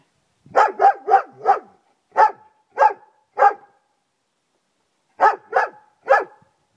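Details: Loud garden barking from Friska, a German Shepherd: an opening run of four fast barks, three more spaced about half a second apart, a gap, then a final trio.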